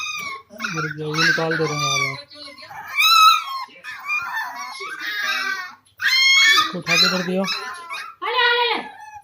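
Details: Puppies offered for sale in India give high, wavering whimpers and whines in short bursts, mixed with a person talking nearby indoors.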